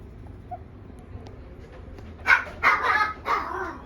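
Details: Small female black Shiba Inu: after nearly two seconds of quiet room hum, three loud, rough barks arrive in close succession, each slightly drawn out.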